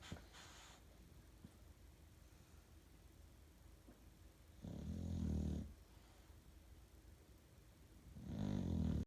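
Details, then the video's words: Sleeping bulldog at 2am giving two long, deep, rattling snores about four seconds apart, each a low vibrating inhale lasting around a second, with quiet room tone between. "Snoring Bulldog"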